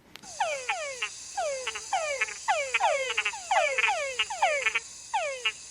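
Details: A nocturnal chorus of competing Túngara frogs, each giving a falling whine followed by quick chucks, with calls overlapping as singers add chucks to outdo their neighbours.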